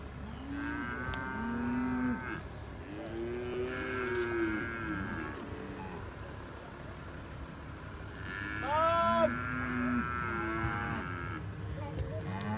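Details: Herd of 71 Hereford cows with Braford calves, recorded 29 October 2021, lowing back and forth: several overlapping moos, some deep and drawn out, others higher and rising, from more than one animal, with a steady low hum beneath.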